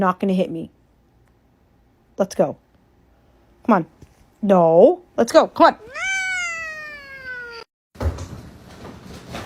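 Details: Domestic cat meowing amid human speech, a few short harmonic meows, then one long drawn-out meow that sags slightly in pitch, followed by rustling noise.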